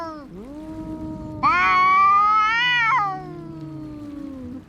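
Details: Fighting cats: a low, wavering moan rises into one loud, sustained yowl of about a second and a half, then fades back into a quieter droning growl.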